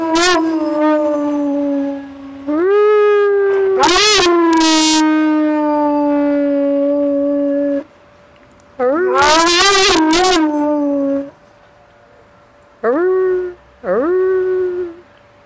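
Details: Pet dog howling along with a passing fire engine siren, the first time this was caught. Long, sustained, wavering howls come in several bouts separated by pauses. A person joins in with a couple of encouraging howls.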